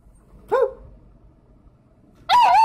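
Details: A two-month-old Labrador Retriever puppy barks: a brief high yelp, a pause of over a second, then a longer, wavering, high-pitched bark with clear harmonics.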